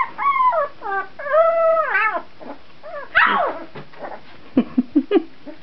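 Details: Puppies at 14 days old, recorded in 2009, give long drawn whines that hold level and then bend downward, followed by a sharp rising squeal and a few short yelps near the end.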